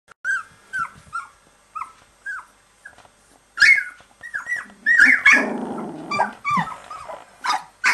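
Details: Litter of dog puppies 15 and 16 days old; thin, downward-bending squeals and whines repeated irregularly, some rising into sharper high cries, with a brief low grumbling growl in the middle.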